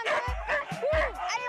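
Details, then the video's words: Sled dogs in a harnessed team led by a female lead dog bark and yip in short, rough bursts, motivated and eager to set off on a cani-kart run. "on entend les chiens là, ils ont envie d'y aller là, ils sont motivés, hein, vous avez vu ça un peu?"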